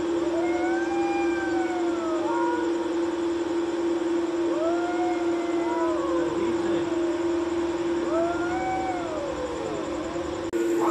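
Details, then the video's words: Nighttime fight between two cats sitting on a wall by a courtyard, heard as slow, moaning yowls swelling and sinking in repeated arcs about every two to three seconds, with a constant background hum. "Horrible Voice of Cats Fighting With Each Other"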